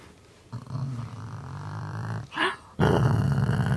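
A dog growls low and rumbling in sustained bursts, with a brief higher vocal sound between them.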